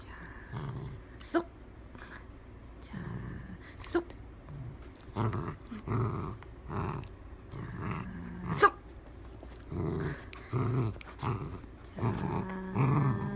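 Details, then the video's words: Dachshund growling during play indoors: short, rough, low growls in irregular bursts across the recording, with a person talking between them. "쏙 빼기 닥스훈트"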